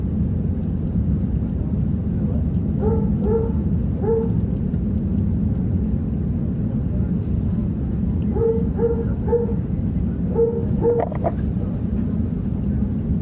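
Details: A dog barks constantly in the cargo hold of a Condor Airbus A321-200 during takeoff from Leipzig/Halle to Gran Canaria. Short tonal barks come in bursts of two or three, partly buried under a heavy, steady engine roar.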